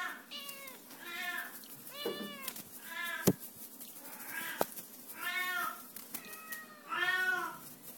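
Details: Red Oriental kitten at a cattery giving about seven arched, nasal meows roughly one per second, each rising then falling, with two sharp clicks between calls in a quiet indoor room.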